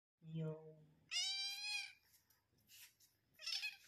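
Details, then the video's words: A female cat, met for the first time that day, calling to a person: a low voiced sound at the start, then a clear, high harmonic meow around one second long, followed by fainter breathy noises and another short cry near the end. "I met this cat today and this is how she calls me"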